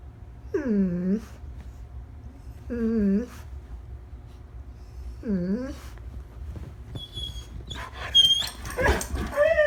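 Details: A one-year-old female Labrador Retriever, a pet, gives three drawn-out, wavering whines or yowls, each rising then falling, spaced about two seconds apart. They are followed by high squeaks, rustling and a voice.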